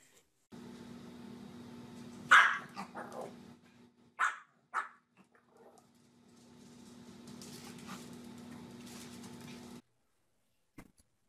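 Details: Dog giving a few sharp barks and yips among steady background hum, while a person coaxes it with repeated "come on"; short quieter sounds follow.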